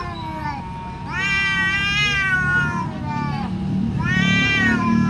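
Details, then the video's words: Domestic cats fighting, described as very fierce; two long harmonic yowls rising then falling, the second starting near four seconds, over a steady low hum. "SUARA KUCING BERANTEM GALAK BANGET"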